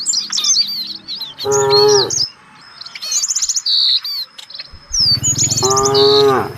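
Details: Village cattle from a herd out searching for fresh grass give two drawn-out, low moos, one near the start and one at the end, while small birds chirp and twitter busily overhead throughout.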